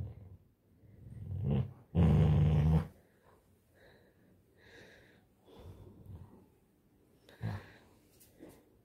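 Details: A Labrador Retriever puppy tugging at a blanket gives one loud, low, rumbling growl lasting almost a second, followed by softer snuffles and breathing, with a Hindi-speaking voice urging it to let go.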